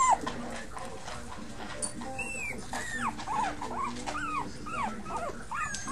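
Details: Whining from a litter of five pups: a run of thin, downward-bending squeals, arched and repeated about twice a second in the second half, over a low steady household hum.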